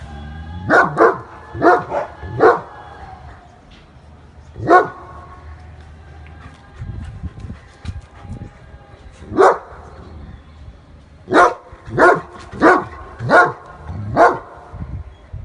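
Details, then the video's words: An angry German Shepherd barks in sharp, loud bursts, often in quick runs of two or three. "Angry German shepherd Dog barking"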